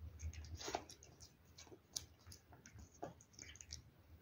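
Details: A cat eating wet food: scattered soft, wet clicks and smacks from chewing and licking, irregular and sparse over a few seconds, with quiet gaps between bites.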